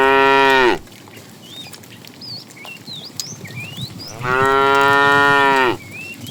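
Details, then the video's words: Tame cows being herded to green pasture in the morning: two long, loud, harmonic moos, one at the start and another near five seconds, each flattening out before cutting off, with scattered bird chirps in the quiet gap. "Funny cow sounds"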